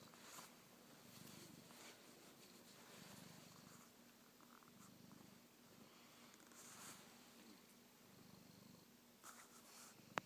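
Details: Male house cat purring up close, curious about an iPhone camera held near his face; continuous low pulsing purr with a few soft clicks and rustles, a brief sharp tap at the end.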